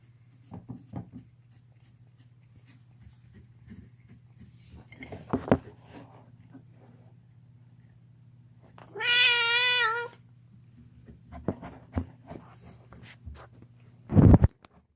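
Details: Deaf pet cat screaming while gnawing on a bone, indoors in a small room; one drawn-out wavering harmonic yowl lasting about a second, a sharp loud cry near the end, scattered clicks and chewing noises, steady low hum throughout.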